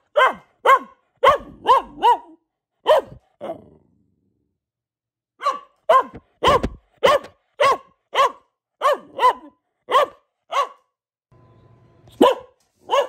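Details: Female Boxer dog, a pet, barking repeatedly: sharp, clipped barks in quick bursts of two to five, brief pauses between runs, plus a short low hum near the end.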